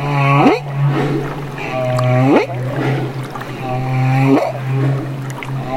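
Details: Young humpback whale recorded in Banderas Bay, Mexico, giving a series of rich harmonic moans, each flat then climbing steeply at its end, repeated roughly every two seconds, with a constant low mechanical hum underneath.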